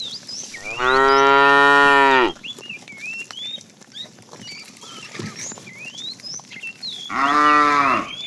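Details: Fat cow calling the female as a tame herd is driven in the afternoon: two drawn-out moos, the first about a second and a half, the second shorter and six seconds later, with bird chirps between.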